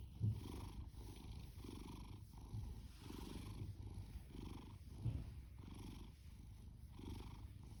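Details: Young male orange tabby cat adopted from a rescue shelter, snoring and purring loudly while resting; deep continuous rumbling purr swelling and fading in rhythmic breaths about every second, with a faint high hiss in the background.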